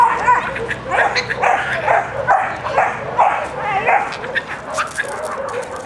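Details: Young black Labrador cross male, ten months old, with a white bib, at a shelter in department 62, very playful: a run of sharp, uneven barks, about two per second, with faint voices in the background.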